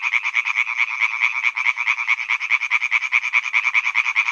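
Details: Pond at Hyby Fælled full of croaking male European tree frogs: fast, regular bursts of raspy croaks, about seven or eight per second, swelling and dipping slightly as overlapping callers alternate.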